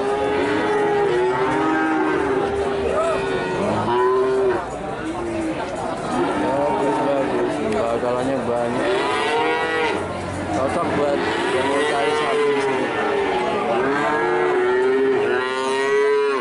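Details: Cattle offered for sale lowing repeatedly, a herd of several animals with overlapping harmonic moos, some rising and falling, continuous throughout amid a busy crowd background.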